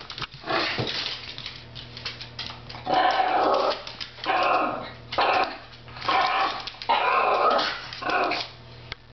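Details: Plump pet Chihuahua under a table, growling at another dog in a small room: a series of about six rasping growl bursts, each about a second long, separated by brief breaths.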